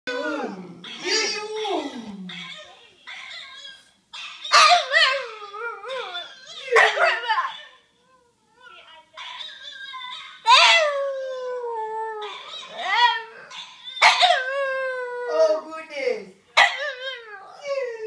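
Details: Maverick, a French Bulldog, howling at his own howl indoors in a small room: repeated wavering, sliding howls with strong harmonics, rising then falling, in bursts separated by short pauses.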